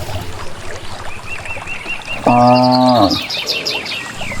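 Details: Village cattle heading unguided toward grazing land in a green valley; a single steady, flat moo lasting under a second rises above a background of rapid bird chirping and twittering.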